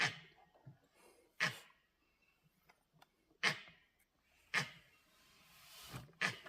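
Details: Langur monkeys in a forest, on high alert for predators, give harsh, explosive cough-like alarm barks at a moving tiger, spaced one to two seconds apart.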